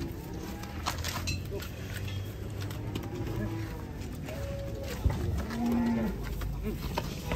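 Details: Cattle being loaded into a truck give a few drawn-out low moos, one steady tonal call near the end, over rumbling engine noise, clatter and faint music.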